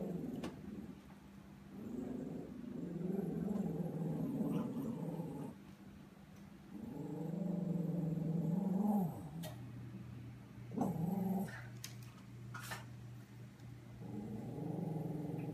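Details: Puppy named Joey, scared of a Halloween pumpkin he thinks is alive, growling low and rumbling in long stretches with short whiny rises, some clicks and handling noise.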